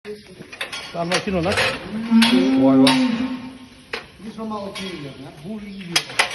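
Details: Pregnant heifers lowing indoors, several overlapping moos with wavering, harmonic-rich tones, one long drawn-out moo in the middle, shorter calls before and after, with clanking metal sounds in the background.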